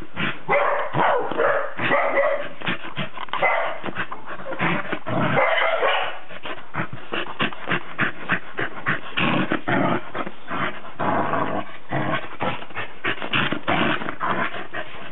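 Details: Cardigan Welsh Corgi giving rapid, yappy barks in quick succession, dense bursts with brief pauses, interspersed with whimpering yips, sounding excited and continuous throughout.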